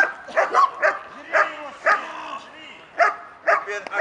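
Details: A female German Shepherd in protection training against a decoy "intruder", building an active-defensive reaction, gives short, harsh barks in quick bursts, with a human voice in the background.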